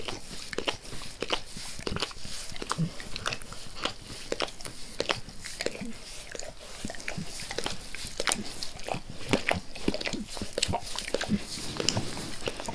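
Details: Pet dog Max licking his owner's face, calming and growing less forceful as he is petted; soft, sharp wet clicks and slurps repeat steadily over a quiet room hiss.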